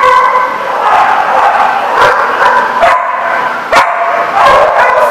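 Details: Chorus of dogs barking on 7 July 2014: continuous overlapping yaps and barks form a loud, busy wall of sound, punctuated by a few sharper, louder barks standing out from the crowd.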